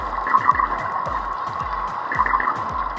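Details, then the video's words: Dwarf minke whale underwater giving its mechanical 'Star Wars' call, likened to a TIE fighter: rapid low descending pulses under a harsh, buzzing mid-pitched drone. "The Star Wars sound that you just heard is actually coming from dwarf minke whales."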